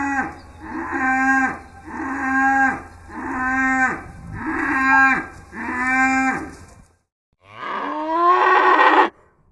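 A cow gives a steady series of deep, drawn-out moos, ending with one rougher, louder bellow.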